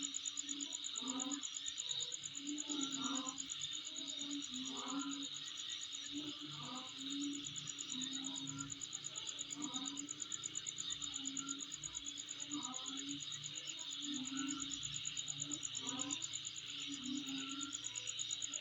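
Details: A long stretch of insect calling at home, a steady piercing shrill and rapid pulsed trill running throughout, with short low droning bursts recurring every second or two.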